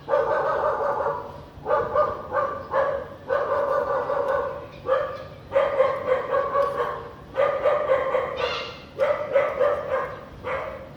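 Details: House dog barking on a sunny afternoon with little clouds in a clean area of Vientiane, Laos, 15 April 2021: harmonic barks in quick runs of two to four, separated by short pauses, loud and steady throughout.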